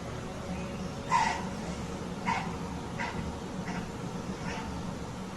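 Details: A museum exhibit recording of a white-tailed doe that senses a mountain lion ready to pounce plays five short, nasal, bleat-like alarm calls about a second apart, warning her fawn, over a steady indoor hum.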